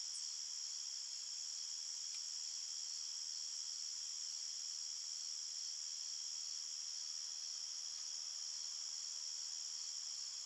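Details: Night-time cricket chorus from a forest, an unbroken shimmering high trill in layered bands, even in loudness throughout, with a faint brief tick near the start and otherwise no other sounds.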